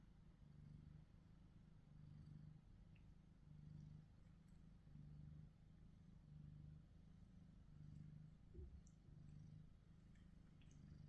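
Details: Purring from one of two male house cats, Tom (black-and-white shorthair) and Charlie (gold British Shorthair), captured on a Samsung Galaxy S23 Ultra; deep throbbing rumble swelling and easing roughly every second and a half, faint clicks above.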